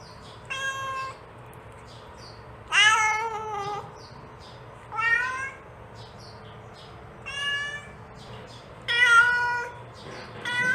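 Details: Mother cat calling her young kitten with repeated drawn-out meows, several rising and sliding down, about five loud calls in ten seconds, fainter short mews scattered between them, low steady hum behind.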